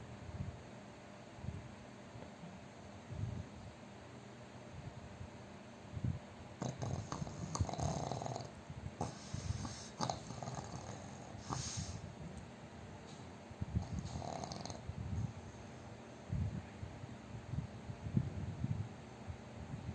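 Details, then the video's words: A sleeping, chubby pug gives irregular snuffling snores. Several rasping bursts come between 6 and 15 s over a steady low rumbling breath. "น้องหมาปั๊กอ้วนนอนกรนเสียงดังหนักมาก 😴 Snoring"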